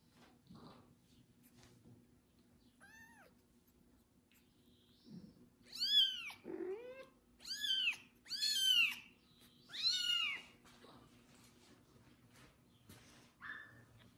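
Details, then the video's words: Kitten meowing loudly after its first bath, cared for and licked by a pregnant foster mother cat indoors; a series of loud, drawn-out rising-then-falling meows, four strong ones in close succession, with a low steady hum behind. "Foster mom cat takes care of loud meowing kitten after his first bath"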